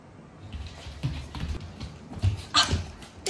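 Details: Pet bulldog indoors, trying hard to stop its tent house from being taken down: low, muffled snorting grunts in short bursts, with a few sharper broadband thumps and rustles near the end.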